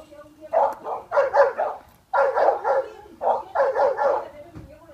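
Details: Dogs bark at cows early in the morning, giving quick runs of sharp barks, three or four together, with brief pauses between bursts.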